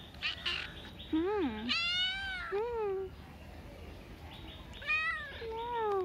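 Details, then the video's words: Street cat meowing repeatedly: rising-then-falling harmonic meows about once a second, one with a wavering low start, against quiet background hiss. "Adorable street cat meowing"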